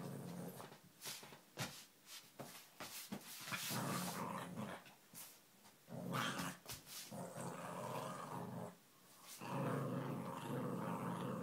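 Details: Playful Lhasa Apso named Mirren growling in a small room: low rasping growls come in uneven bursts, mixed with sharp clattering taps and scuffling sounds of play, ending in a steadier rumbling growl.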